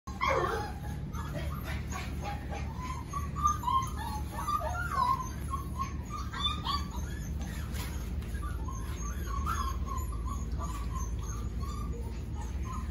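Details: Five-week-old puppies of a dog named Ruby, several squeaking and whimpering together in short high yelps and mewing whines that overlap throughout, over a steady low hum.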